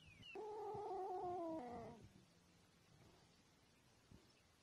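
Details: Kitten giving a single drawn-out meow, steady then sliding downward over about one and a half seconds, followed by quiet room hum.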